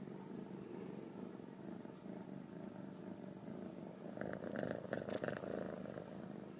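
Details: Purring of home-raised Ragdoll kittens at a central Kansas cattery: an even, low vibrating rumble that swells louder and rougher near the end, with a few faint soft clicks and rustles over it.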